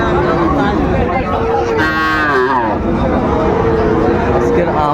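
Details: Friesian and crossbred bull calves gathered at Raniganj haat, Ghoraghat, Dinajpur, Bangladesh, 26 July 2024; a loud rising-then-falling bellow midway, over continuous lowing of other cattle and market chatter.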